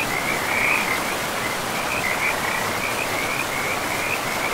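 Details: Frogs by a river in a pristine forest with moss-covered land, calling in a steady, high, chirping trill that runs almost unbroken through the clip over the constant broadband rush of flowing water.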